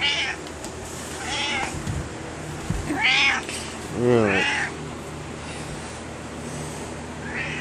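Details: Pet cat Kaiser chatting to his owner about his day: a run of five arched meows over several seconds, one deeper and warbling, the middle pair loudest, with a low thump and quiet indoor background.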